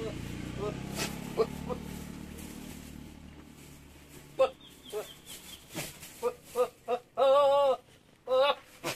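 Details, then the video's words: Javanese goat, a young buck in heat, gives a loud wavering bleat near the end after scattered short calls and clicks, with a human voice and low background hum early on. "Kambing jawa bersuara mirip Alien"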